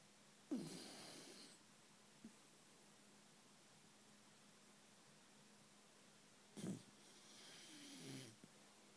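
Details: A sleeping Basenji snores deeply, each breath a rough, wheezy rasp with long quiet gaps.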